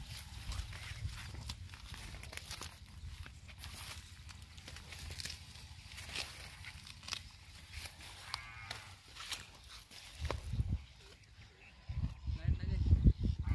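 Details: Low lowing of a Tharparkar cow on a Gujarat dairy farm, India, swelling into louder, rising moos near the end over steady barn rumble and clatter.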